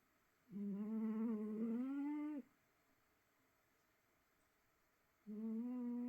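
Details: Cat snoring while asleep in a small quiet room. A steady humming tone swells upward over about two seconds, falls silent, and then a second snore begins near the end.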